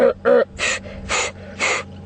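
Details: During an afternoon safari drive at Djuma Game Reserve on 15 February 2015, a rutting impala very close beneath the camera roars in five harsh bursts: two tonal grunts, then three raspy snorting blasts about half a second apart.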